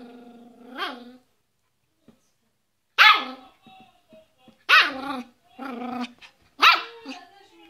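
A Yorkshire Terrier gives sharp, high-pitched barks, a few separate yaps spaced one to two seconds apart.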